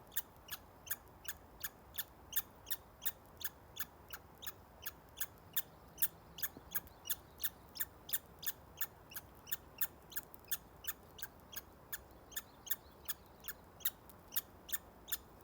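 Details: Squeaky squirrel eating beside a local walking trail, recorded May 29, 2020; crisp clicking squeaks come in a quick, fairly even series, nearly three each second, with only quiet outdoor hiss behind them.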